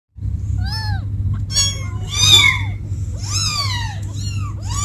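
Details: Kittens calling for their mother: several high, arched meows come in separate bursts, some overlapping, over a steady low hum.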